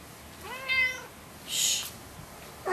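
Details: Indoors, Lucy, a loud orange cat who keeps pestering a resident cat, lets out one clear harmonic meow, followed by a burst of rustling noise and then quiet.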